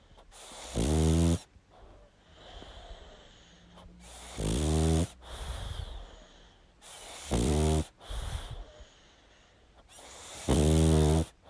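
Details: Deep, rumbling snores from a pug asleep, four harsh rasping inhalations spaced roughly three seconds apart, with snorting, whistling exhales in between.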